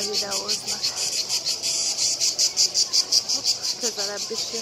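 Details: Several cicadas in Split, one coming closer, produce a shrill rhythmic buzzing pulsed roughly three times a second, while brief wavering voice sounds break in at the start and near the end.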